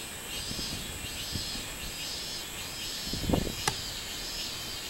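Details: Robust cicada song from 24 July 2016. Repeated arching buzzy pulses arrive about once per second in the background, with soft low thumps and two sharp knocking sounds near the end.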